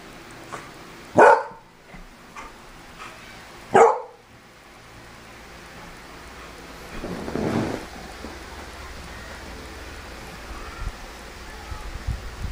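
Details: Beagle barking when it smells cologne: two sharp, loud single barks about two and a half seconds apart indoors, followed later by a soft rustling noise.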